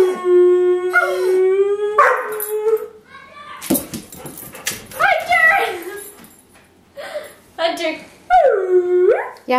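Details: Airedale Terrier indoors, urged to sing, answering with several sliding howls and yips interleaved with a person's speech, ending on a long dipping howl.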